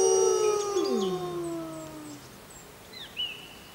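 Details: Wild grey wolf howling on a full-moon night: a loud steady tone that breaks into a sweeping downward slide and fades, then faint high chirping bird calls near the end.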